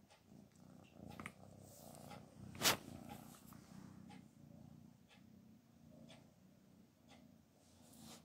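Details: Cat named Black Panther, eating little because a cold has dulled her sense of smell, as people urge her to eat. Steady low pulsing purr throughout, broken once by a brief sharp click.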